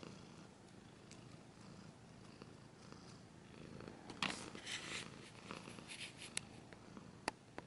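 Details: Quiet cat purring rumbles underneath at first, then loud scratching and rustling bursts take over from about four seconds, with sharp clicks toward the end.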